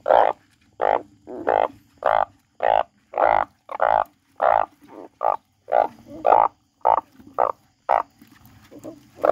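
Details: Frog croaking loudly in a fast series of short, harsh, nasal notes, about a dozen in nine seconds, spaced irregularly with brief pauses, each croak a broad burst centred in the mid range; faint softer calls between.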